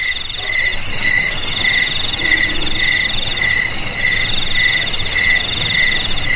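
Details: Crickets heard as a rat deterrent for home, garage, storeroom and paddy field. Shrill overlapping trills, with one mid-high chirp repeated roughly every half second over a faint low background hum.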